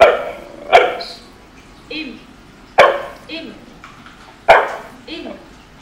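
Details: A corgi in training to bark and be quiet on command keeps barking for a food reward, giving short, sharp single barks about every two seconds, with a trainer's voice and soft murmuring between.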